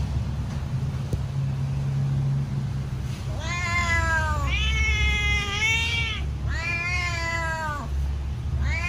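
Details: Pet cat meowing loudly as it waits for its food; three long, wavering meows in quick succession after a quiet start, with steady low hum underneath.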